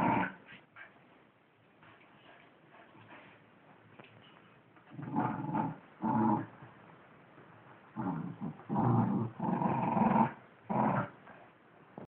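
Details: Wire Fox Terriers battling over a sock: quiet low grumbling at first, then bursts of throaty growling that grow louder and come in clusters from about the midpoint, with short yips among them.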